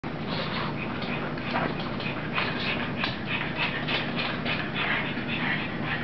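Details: Rosie, a puppy playing with its mother, panting in quick, breathy bursts with soft whimpery notes over a steady low hum.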